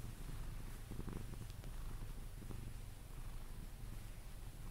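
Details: Pet Sphynx Pepe gives a deep, steady purr while being cuddled to sleep, the rumble rising and falling with each breath, with light brushing or movement sounds around the middle.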